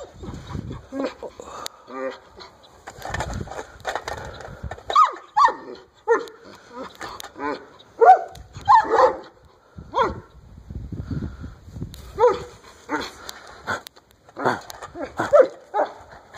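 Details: A white, 12-year-old Alaskan Malamute gives short, throaty woo-like calls with a person's voice mixed in.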